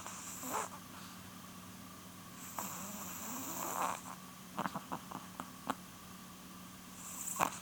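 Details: Nearly twelve-year-old female chihuahua Polun snoring while asleep, long raspy inhalations followed by a quick series of small clicking, snuffling pops, then another breathy snore, with a faint steady hum behind.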